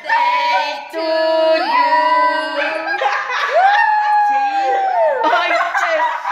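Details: Chip, a pet Chihuahua, sings along as people sing the Happy Birthday Song: drawn-out, wavering howls that slide up and down, mixed with the sung human melody, with laughter.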